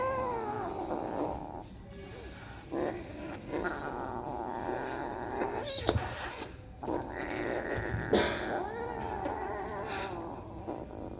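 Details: Kittens at play in a house, three of them chasing one another after a new kitten joins; several wavering, bending meows at the start and near the end, mixed with thumps and scuffling throughout.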